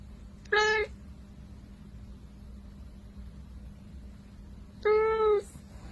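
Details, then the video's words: Kitten meowing twice, short bright meows about four seconds apart, the second slightly longer and falling at the end, against a quiet indoor background with a low steady hum. "cut kitty meowing"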